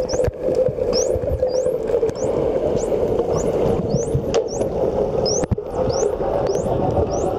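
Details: Wild dolphins underwater off Mikurajima, whistling while releasing bubbles from the blowhole, filmed on an Olympus TG-2 with a fisheye converter; many rapid upward-sweeping high whistles repeat about twice per second over a steady low underwater rumble.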